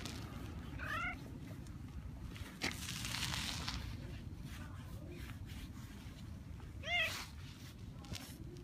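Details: Kurishiro, a female boss cat in a park torn by feuding cat factions, is stroked and lifted onto a lap; two short harmonic meows sound about six seconds apart over a steady low outdoor rumble, with one soft thump between.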